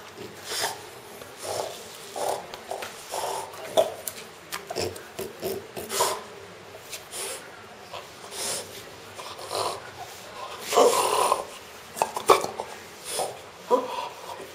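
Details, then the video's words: French Bulldog named Pro, a pet dog, making strange, funny sounds: irregular snorting and grunting bursts, some short and breathy, others louder and rougher, spaced a second or two apart, with quiet room noise between. "My French Bulldog making strange sounds!"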